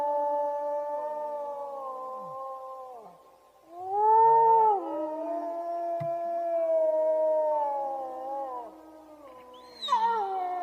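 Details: Wolves in Iran howl together, several long, smooth voices overlapping, rising and falling at different pitches, in a collective howl alongside a lone wolf's howl.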